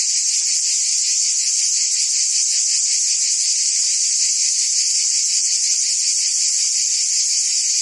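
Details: A dense, continuous summer chorus of cicadas in Provence, France, a steady high-pitched buzzing hiss with no breaks.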